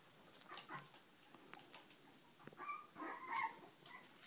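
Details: Puppies giving a few thin, high whining squeals, clustered near the end, over soft rustling and light tapping sounds.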